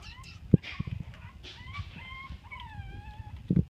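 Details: Chihuahua puppies playing together, a litter including cream longcoats: drawn-out high whines sliding gently downward, overlapping squeaks, and a few low thuds from movement.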